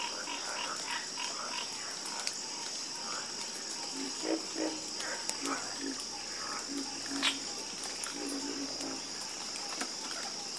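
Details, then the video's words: Chorus of frogs croaking: short, low, throaty croaks repeat irregularly from several callers, mixed with brief rapid clicking pulses, over a steady high-pitched insect drone. "the Calming Sound Of Harmonious Frog Croaking"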